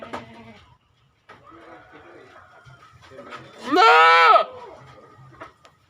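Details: Goat giving one loud, wavering bleat lasting about a second, with faint rustling and low murmuring before and after.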